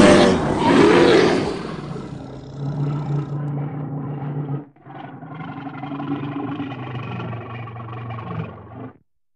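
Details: Bear. A bear starts with a loud, rough roar lasting about a second and a half. A deep, droning growl follows, held steady with one brief pause.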